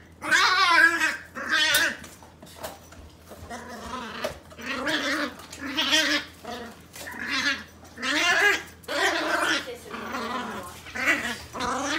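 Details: A Bluetick Beagle puppy playing with a cat gives harsh, gargling growls and yowls in repeated bursts, likened to a Tasmanian devil, with a person talking.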